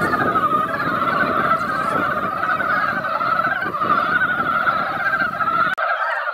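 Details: Mountain frogs crowd a once-quiet mountain pond after light rain, their yearly chorus of many overlapping rapid croaks running continuously beneath a low rumbling background noise.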